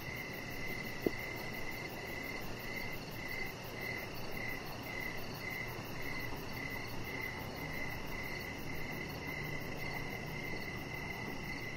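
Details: Evening crickets heard from a backyard deck, giving a continuous series of shrill, evenly spaced chirps, roughly two per second, over steady low rumbling ambient noise and one brief sharp click near the start.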